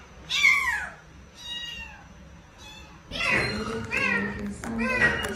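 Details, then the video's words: Domestic cat giving a loud, falling meow followed by fainter meows, then a cluster of strained, wavering meows, with background voices and music. "Two sounds of a cat"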